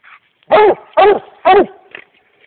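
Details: American Leopard Hound, a four-year-old male, baying at a raccoon it has treed in the Mongo swamps, 4 May 2010: three loud, chopping barks about half a second apart, then a man's voice urging the dog on.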